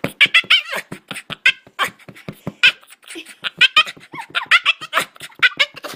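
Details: Eager to play with the ball, Boston terrier Bruce "talks" in rapid rhythmic snorts and grunts, several per second, broken by sharper whiny bursts, in a small indoor room.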